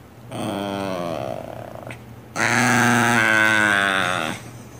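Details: Domestic cat letting out two long, wavering yowls, a softer one followed after a short gap by a louder, higher-pitched one, over a steady low background hum indoors.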